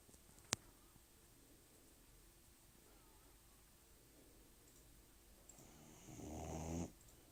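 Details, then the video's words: Sleeping puppy, 18 weeks old, snores: a quiet stretch of soft breathing after a sharp click, then one swelling, rough, buzzy snore lasting about a second near the end. "Cute puppy snoring"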